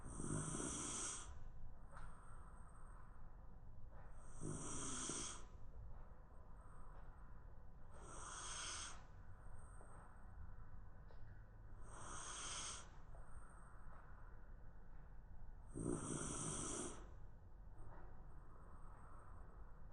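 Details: Round-bodied Shiba Inu asleep on the floor during a lunchtime nap. Raspy, hissing snores repeat about every three and a half to four seconds in a slow steady rhythm, with a soft background hum.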